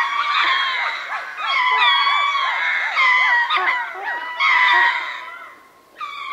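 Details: Ring-tailed lemurs at Berenty, southern Madagascar, calling together as a troop from medium-close range: layered wailing cries with rapid pulsing yelps underneath, swelling in bursts and briefly dropping away near the end.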